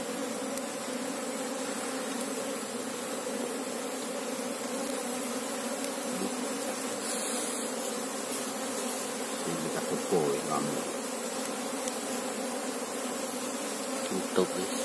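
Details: Asian honey bees (Apis cerana) humming en masse while the hive is searched for the queen; a constant layered drone, with faint knocks and handling noises around the tenth second.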